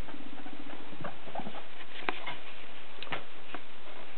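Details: Pet guinea pigs Paco, the smaller one, and Piggy, larger and brown and white, give a low pulsed purring rumble for half a second, then soft patter, rustling and scattered clicks indoors.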